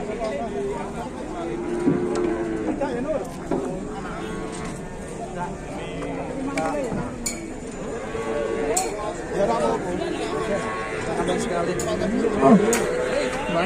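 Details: Cattle at an Indonesian livestock market, with several low, drawn-out moos over steady crowd noise, clinking, and chatter.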